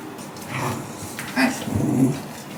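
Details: Shiba Inu dog named Hachi soaking in a bathtub with its owner to loosen dirt around its rear, complaining in dog language: a short, low whining grumble with soft nasal whimpers, rising briefly near the middle, in a small echoing bathroom.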